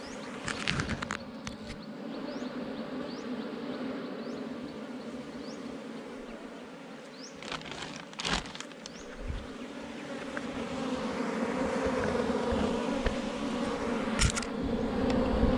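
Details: Honey bees swarming around a wild hive under rocks in the forest while a honey hunter catches the hive: a continuous low hum that swells louder toward the end, punctuated by loud knocks and thuds.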